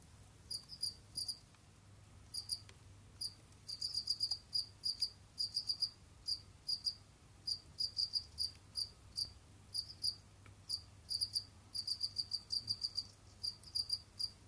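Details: Jamaican field crickets kept as pets in an enclosure, moving about, digging and hunting; dense runs of sharp high chirps, clustered pulses repeating almost continuously with brief gaps, faint low background hum.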